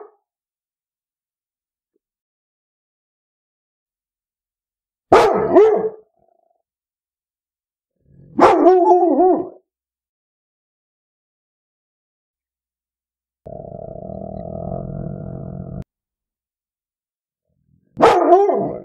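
A Labrador Retriever gives single deep, full barks spaced several seconds apart.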